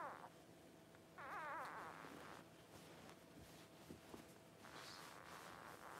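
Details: Cavalier King Charles Spaniel newborn puppy during its mother's whelping, giving a brief wavering whine of about half a second after a short opening squeak, over quiet indoor room noise with faint rustling.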